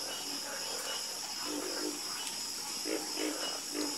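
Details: Frogs croaking in chorus: soft, low croaks come in small clusters, louder toward the end, against a continuous high-pitched insect drone.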